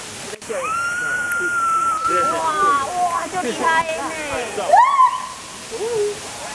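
A white-handed gibbon calls loudly with long, sliding hoots that rise and fall in pitch.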